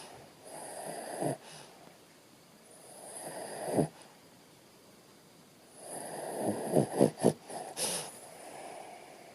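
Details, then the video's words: Bo Bo, a sleeping Shih Tzu, snores in slow raspy breaths: three long rasping cycles a few seconds apart, each swelling and ending in sharp snorty bursts, the last a cluster of quick snorts, with quiet hiss between. "bo bo Sleeping dog ..snore"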